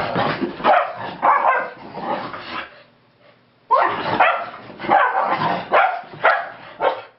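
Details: Keeshonds playing at home after coming back from a long walk: bursts of harsh growling and yapping barks in clusters, a short lull, then several loud barks roughly every half second.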